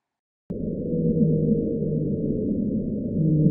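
A blue whale call, played ten times faster than life, comes through as a continuous deep moan. Several steady tonal bands hum beneath a rough, rumbling texture for the full few seconds.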